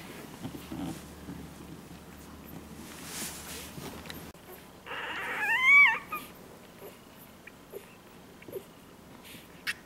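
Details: Lily's one-day-old Labrador Retriever puppies, filmed indoors on 01/04/2012: after a quiet stretch of soft rustling, a single loud, high squeal rises and then falls, followed by near silence with faint shuffling.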